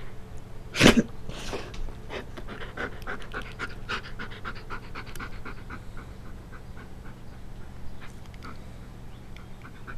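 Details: Playing Siberian Husky gives a sharp loud huff at the start, then settles into quick, even panting breaths that slowly fade toward the end.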